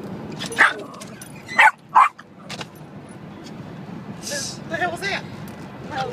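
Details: Small dog riding in a car, barking at the windshield wipers: three loud, short barks early, then a person talking over continuous road rumble with faint barks toward the end.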